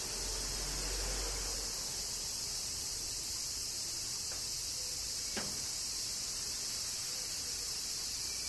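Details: Kyoto, Japan, in summer rain: cicadas keep up a steady, high, sizzling buzz from start to end, with a single sharp tick near the middle and a quiet low rumble underneath.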